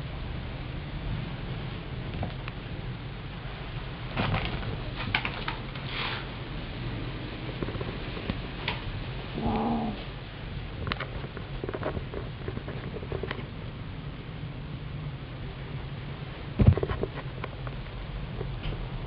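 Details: A kitten indoors gives a single short, mid-pitched meow partway through an otherwise quiet stretch of soft room noise and occasional knocks and rustles.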